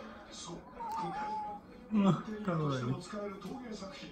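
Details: Odeko, a pet cat, meowing affectionately while wanting attention: a short drop-off meow followed by a longer, wavering, falling meow, with soft background music and talking underneath.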